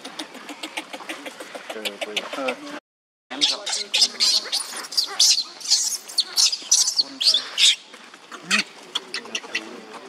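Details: Young monkey Leo crying on the ground as Libby torments him: shrill, high-pitched squeals and screams in rapid bursts, broken by a short silence, over steady background noise.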